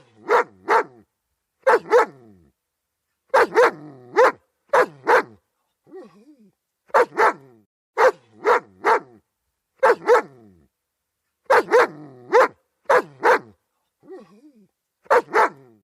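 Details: German Shepherd barking steadily in quick pairs and triplets of loud, harsh barks, repeated roughly every second or two, with brief low whimpers in the gaps.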